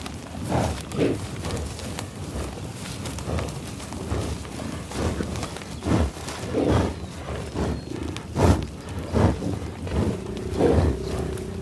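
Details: Bison in the tallgrass prairie near Pawhuska, Oklahoma, USA, field-recorded with Schoeps microphones and a Sound Devices 788T: breathy, rough sniffs and snorts repeat roughly once a second with low grunting undertones and a soft rural background.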